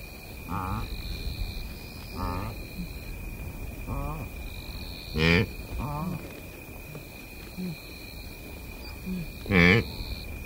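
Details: Blue wildebeest recorded at close range in Kenya's Masai Mara Game Reserve, giving short, throaty, harmonic grunts spaced about every one to two seconds, two of them notably louder. Insects buzz steadily and birds call in the background.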